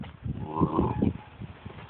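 A Vizsla puppy growls angrily in low, rough, rumbling pulses.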